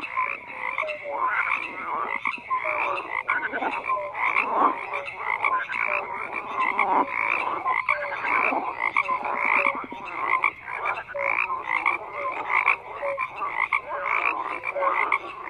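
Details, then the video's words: A dense frog chorus of overlapping croaks, rasping pulses stacked between low and mid pitch, with short tonal notes scattered through and no pause across the whole stretch. "FROGS CROAKING"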